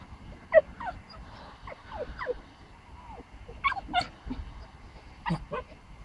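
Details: Bentley, a pomsky puppy, meeting the neighbours' big dog after hearing strange noises; short high yips and whimpers, rising and falling, scattered over six seconds with low background rumble.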